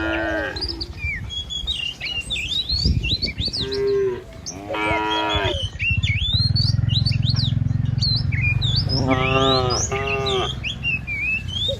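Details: Village cattle herd driven along a rural road by a herder: loud drawn-out moos lasting about a second each, several spread across the passage, with chirping birds above and rumbling wind or movement noise.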